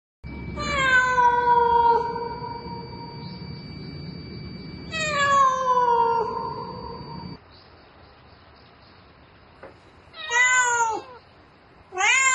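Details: Domestic cat calling for a mate at night, giving long drawn-out meows that slide downward, two extended cries followed by shorter rising-falling ones, with a faint steady electrical hum in the background.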